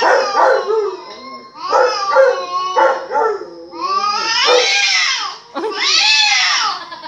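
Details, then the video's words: Domestic dog responding to recorded barks with a string of wavering whines that swell into long, rising and falling howls, each several seconds long, with brief pauses between. "Perro que escucha ladridos y miren como actua"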